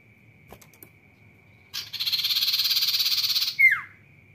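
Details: Sirtu cicada in lively 'rock n roll' song: a dense, harsh buzzing trill pulsing rapidly for about two seconds, ending in a sharp downward-sliding squeal, over a faint steady high tone and a few clicks.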